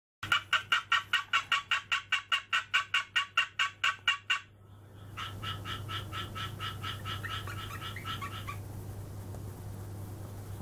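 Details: A captive female Japanese tree frog, calling rarely when set off by other frogs, gives a rapid train of rasping pulses, then a softer, whispered series.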